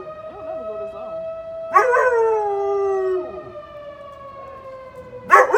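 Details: A dog howls in long, wavering, slowly falling tones in response to a steady wailing tornado siren, which sounds every Saturday around noon.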